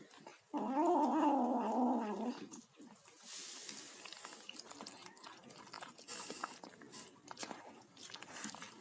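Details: Kitten making noises while eating: a wavering, harmonic growl-like vocalization lasting almost two seconds near the start, then soft irregular chewing and biting clicks for the rest, indoors.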